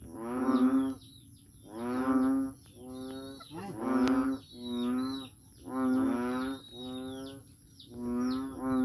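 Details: Frog at Daanbantayan, Cebu, calling noisily: seven low, moo-like droning calls about one second each, following one another roughly every second with brief gaps, over a constant faint high-pitched hum.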